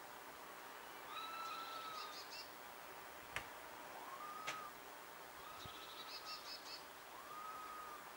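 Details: Four drawn-out whistles, each gently rising then falling, pass between two wild female red squirrels calling from a distance; some carry a buzzy trill above, with two sharp clicks in between.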